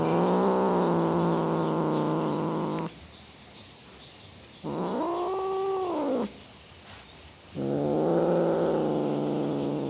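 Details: Cat roaring with long, sustained low wails, plus a shorter call in the middle that rises and falls. Quiet gaps and a couple of small clicks come between the calls.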